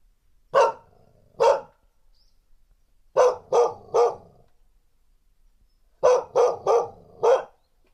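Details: Female dog giving threatening barks, field recording on a portable recorder with windscreen: loud, sharp barks in bursts of two, three and four, separated by short silences.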